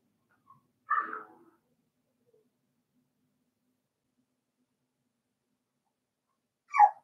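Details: Indoor puppy pen where Cavalier King Charles Spaniel puppies are playing; one quick, slightly rough yip rings out, followed by long quiet and a second sharp, high yip near the end.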